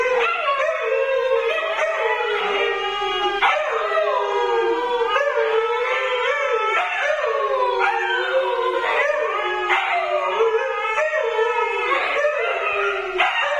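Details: Siberian Huskies Luna, Gizmo, Arya and puppies in a continuous howling session: many overlapping voices slide up and down in mournful, wavering tones mixed with high yips.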